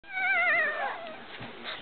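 A newborn French Bulldog puppy gives a high, quavering cry that rises and dips before trailing off into softer whimpers. Newborns cry like this to get their mother's attention.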